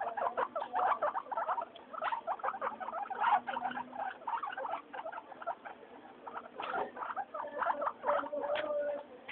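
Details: Guinea pigs Mayumi, Archie and Miyuki making noise during their weekly floor time, a jittery run of rapid squeaks and clicks, briefly quieter midway, then resuming with a longer even squeal toward the end.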